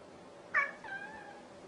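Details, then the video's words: Domestic cat giving a single short meow, a bright opening burst sliding into a softer, drawn-out falling tone, heard over a faint steady background hum. "Kucing Yang lawak"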